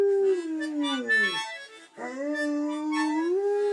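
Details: Landseer Newfoundland dog howling along ('singing') to harmonica playing: two long, wavering howls, each sliding downward and then holding steady, with faint harmonica tones underneath.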